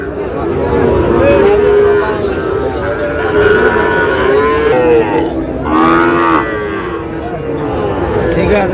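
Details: Sahiwal bull calves at a busy Tangail cattle market, Bangladesh, 20 August: several drawn-out moos rise and fall amid constant crowd chatter and bargaining voices.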